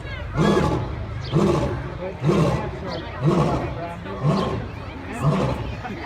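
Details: Lion letting out short, deep grunting roars in quick succession, about one per second, six heavy pulses of even strength over a low background rumble.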